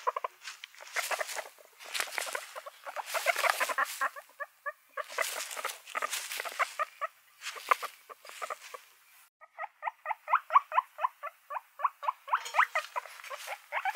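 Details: Pet guinea pigs making runs of short pulsed squeaks, first mixed with rustling and scuffling, then a cleaner rhythmic series of evenly spaced harmonic chirps in the second half.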